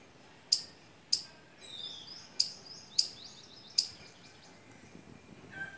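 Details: Squirrel visiting fruiting mango and litchi trees gives five loud, sharp chips, while softer twittering bird chirps fill the gaps and a brief whistled note sounds at the end.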